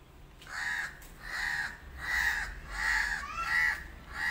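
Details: Once-abandoned male kitten living with a new family calls out in a run of six clear, evenly spaced meows, each a short rising-and-falling wail, under a faint low rumble.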